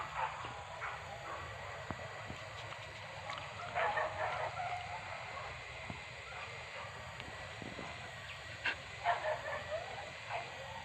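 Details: Dogs barking while hunting wild boar pests at Tarok, Sicincin, Padang Pariaman; distant, scattered barks and yips arrive in irregular bursts over a steady background hiss.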